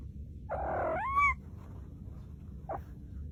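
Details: Cat, from a funny cat compilation, giving one drawn-out harmonic meow that slides upward in pitch and lasts under a second, followed by a brief faint call; low background rumble.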